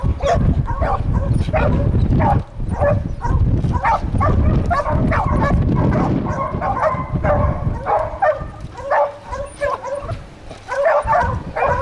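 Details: Two Catahoula dogs baying at a treed raccoon; loud low rumble in the first half, then a steady run of sharp, repeated barks and yelps overlapping one another.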